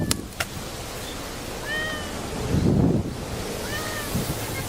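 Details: Grey tabby-and-white tomcat on Japan's cat island of Enoshima, Fujisawa, 7 October 2009, ahead of Typhoon 18; two short, thin, slightly falling meows about two seconds apart over continuous low rushing noise and a few clicks.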